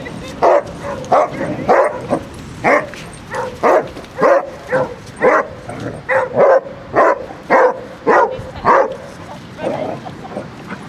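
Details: Basset Hound barking during a five-mile group walk near Kilve, Quantock Hills, Somerset, July 2015; a rapid run of roughly seventeen hoarse barks, about one every half-second, steady and insistent, outdoors.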